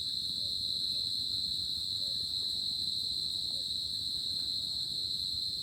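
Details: Crickets on a summer night, a steady high continuous trilling drone that never pauses, with a faint low rumble beneath.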